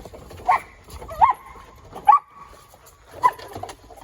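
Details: Collie dog doing agility play with his ball on a playground: four short, high yelping squeaks at uneven intervals over about three seconds, with soft background thumps and rustling.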